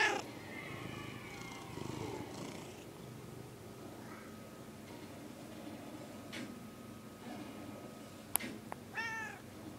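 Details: Domestic cat heard quietly indoors: a soft drawn-out meow over a low purr-like rumble at the start, then near silence, with a few sharp clicks and a short wavering chirp near the end.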